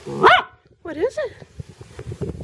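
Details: Pet dog that wants to catch a bug gives two short, sharp, high barks in quick succession, the first loudest, followed by softer low huffs; a person urges it on.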